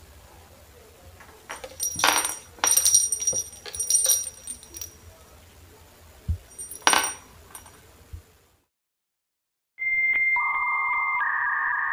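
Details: Jingling and clinking of small bells and toys with light handling noises, a brief silence, then a steady electronic tone; no animal voice is heard.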